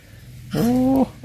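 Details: Pet cat playing in front of the home, giving one steady, low, drawn-out meow of about half a second that rises slightly and drops at the end, with quiet room noise around it.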